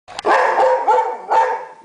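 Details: A dog that is frightened of a broom gives two drawn-out, harsh, noisy barks, one right after the other. A person asks "What?" straight afterwards.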